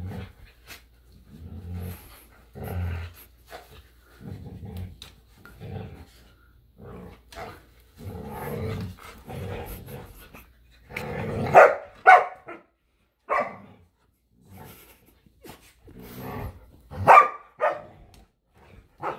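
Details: Samoyed and Keeshond play-fighting over a squeaky hedgehog toy in a yard in winter, giving short growls and scuffling bursts with a few higher whining yelps, while a person urges one dog to get the toy.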